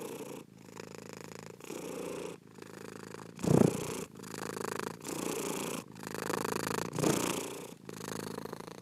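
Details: Domestic cat purring in a low, steady rumble, the vibration breaking into inhale and exhale phases with short silent gaps about once a second; one louder, rougher burst of purring stands out midway.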